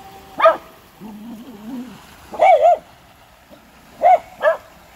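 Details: Dogs at a creek barking: sharp, bright barks at the start, a pair near two and a half seconds and two more near the end, with a lower wavering whine-like sound between the first barks.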